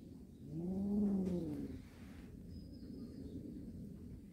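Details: Cat from a warehouse cat family gives one low, drawn-out meow that rises and then falls over about a second, followed by steady low rumbling background noise.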